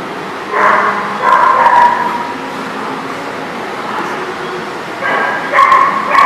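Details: Dogs barking at a place called the Barking Lot, recorded 11/1/19: bursts of sharp barks near 0.5, 1.3 and 5 seconds separated by quieter stretches, the calls carrying a tonal whine-like band.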